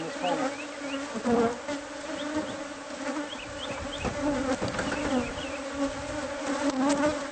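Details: Bees in a wall cavity of a home, their hive being cleared out. A thick, unbroken hum of many wings, swelling slightly, with sharp taps and scrapes of removal work.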